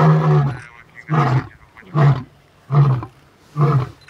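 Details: Male lion producing a series of five short, deep grunting roars, evenly repeated about every three-quarters of a second, low and throaty.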